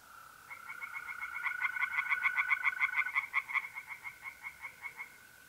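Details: Tree frogs sing from a pond at night in mid-April, north-east Italy. A long run of about twenty quick, clicking pulses swells and then fades, over a steady mole cricket trill that stops midway.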